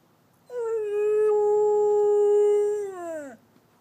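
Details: A female Chow-Golden Retriever mix rescue dog gives one steady, mid-pitched howl that dips downward as it ends, howling on cue when her owner asks her to talk; Chow-Golden Retriever mix dog.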